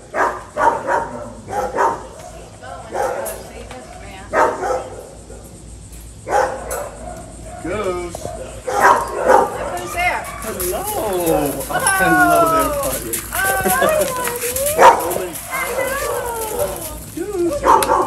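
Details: Three-year-old Bluetick Coonhound howling excitedly on being reunited with his owner after being abandoned at an animal shelter in North Carolina, US; wavering, rising and falling tonal howls and yips amid people talking and exclaiming.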